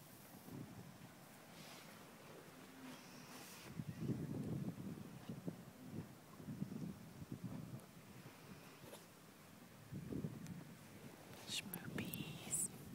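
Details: Snoring horse asking for a scratch, giving a series of low, grainy rumbling snorts every one to two seconds, quiet and close, with faint rustles and a short bright clink near the end.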